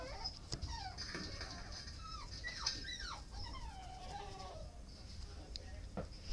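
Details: Dog whining in a series of high, wavering, bending whimpers, some rising and falling, with a steady high-pitched hiss and faint background noise throughout.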